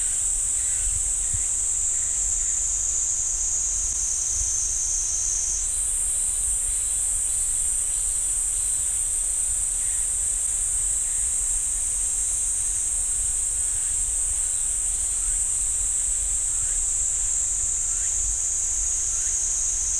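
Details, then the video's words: Cicadas droning among the pines at Ssanggyesa temple in Jirisan National Park. A continuous high buzz shifts abruptly upward in pitch partway through and continues steadily, with a soft low rumble beneath. "지리산 쌍계사 소나무 숲 매미 소리"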